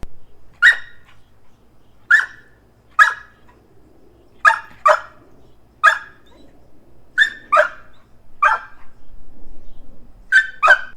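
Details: Domestic dog staked out on a leash in a yard, barking repeatedly as nuisance barking: about ten sharp single and doubled barks spaced one to two seconds apart, with faint low background hum.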